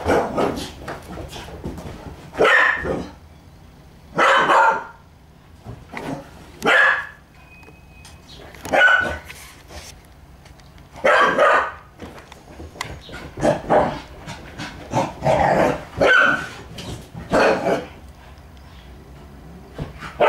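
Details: Puppy barking while playing with a stalking kitten that is in attack mode, the two being good friends; short sharp barks come in irregular bursts, some doubled, spaced a second or two apart, with faint scuffling between.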